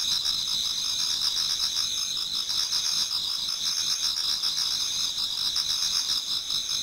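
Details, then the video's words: Numerous insects singing in a Japanese garden on an autumn night nearing dawn: a dense wall of piercing high trills with fast, pulsing mid-pitched chirps running underneath continuously. "Autumn Insects voice Towards dawn"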